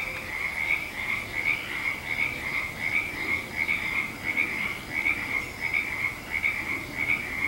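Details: Many frogs call at once on 19 February 2020, their high, rapid trills and croaks blending into a continuous pulsing chorus that rises and falls slightly in waves, with no other sounds standing out.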